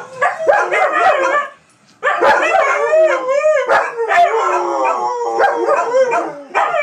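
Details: Dogs howling in chorus on the 4th of July, 2012. Multiple tremulous, harmonic voices slide up and down and overlap. One short silence after the first burst, then a sustained, wavering chorus with yelping bends.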